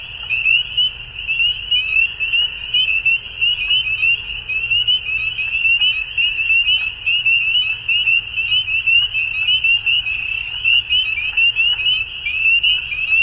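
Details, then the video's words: Spring dusk in Ontario, Canada, with many frogs calling together: a thick, unbroken wall of high-pitched peeping notes, pulsing in loudness, no other clear sounds. "Frog Sounds At Dusk"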